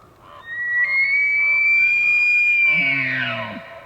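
Elk bugle: a long, piercing whistle that climbs slightly and holds high for over two seconds, then breaks into low, grunting chuckles at the end.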